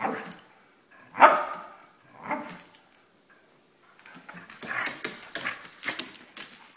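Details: A pet Brittany spaniel named Sophie, wanting something and dancing to get her way, lets out a sharp, harmonic yelping bark, then softer whines, followed by tapping and shuffling sounds while a person keeps asking what she wants.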